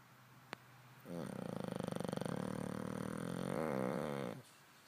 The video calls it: English bulldog snoring